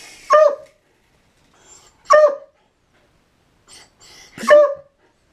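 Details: Indoor dog barking at a helicopter: three sharp, loud single barks spaced about two seconds apart, with quiet gaps and faint background noise between them.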